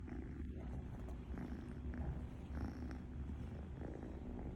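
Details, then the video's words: Sleeping cat snoring loudly, a steady low rumbling drone with a faint pulsing texture that runs continuously without clear breaks. "Wow, That Cat’s Snoring is Loud!"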